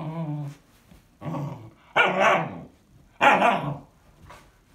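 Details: Bunny, a 16-week-old Standard Poodle puppy, overly tired and talkative when late for bedtime indoors: four grumbling vocal bursts, a low growl-moan then louder harsh bark-like yowls about a second apart, a faint short sound at the end.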